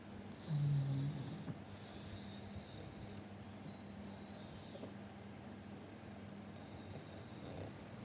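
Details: Sleeping pug, described as fat and a very loud snorer, lets out a single short, deep snort-like snore early on, followed by quieter breathing against a low background hum.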